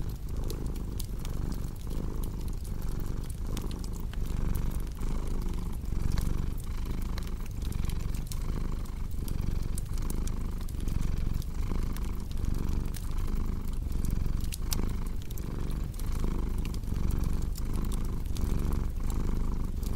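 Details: Sustained cat purring, a thick low rumble pulsing regularly with each inhale and exhale over twenty seconds, accompanied by constant crackling fireplace snaps in a relaxing deep-sleep ASMR blend.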